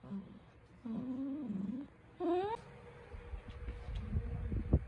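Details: A wavering low whine, then a sharper rising whimper, come from Cookie, a pet poodle puppy trying to get attention. Shuffling and handling noises follow.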